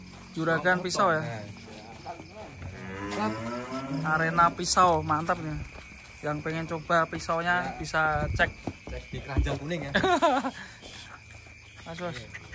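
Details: Large cattle unloaded from a truck in 2025; a couple of drawn-out lowing calls early on, then mostly busy human voices and handling sounds.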